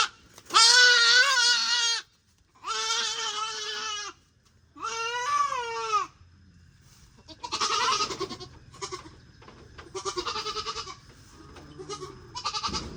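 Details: Goat among four more newly bought animals giving three long, steady, nasal bleats, each about a second and a half with short gaps, followed by several shorter, fainter bleats with a low rumbling background.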